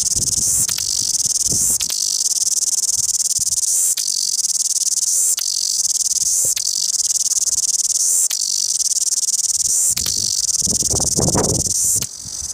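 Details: Cicada in full loud song at Wellington: a continuous high, sizzling rattle that pauses for an instant roughly every two seconds and resumes at once, with some low thumps and background rumble beneath.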